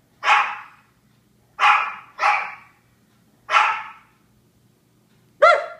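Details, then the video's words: Barking from Japanese Chins, a series of harsh, broadband yaps at uneven intervals, two in quick succession, ending with a higher, clearer tonal yelp. "Barking Japanese Chins"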